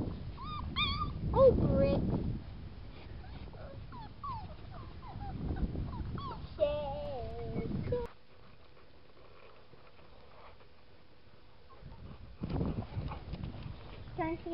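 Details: A litter of seven-week-old Boxer pups whimpers and yips in short bursts, with bright rising-and-falling squeals clustered early and around the middle. A quiet lull with a faint steady hum follows. Indistinct human speech is heard nearby.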